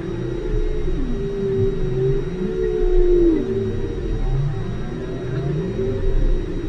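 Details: Whale calls recorded underwater at station Aloha, 5 km deep: low moaning tones sweeping up and down below roughly 500, overlapping curved calls with a steady low rumble and faint constant hum lines.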